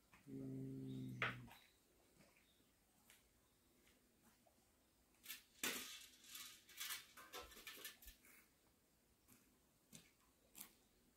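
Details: Cat from a warehouse cat family gives one low, steady, drawn-out yowl lasting about a second, followed by clattering, scraping knocks and rustling indoors.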